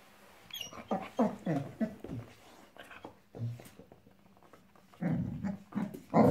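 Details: Boxador puppy, female, five months old, fussing at a new pink pig toy indoors; rapid broken growls and huffs that swell into louder rough growling at the end, over faint room noise.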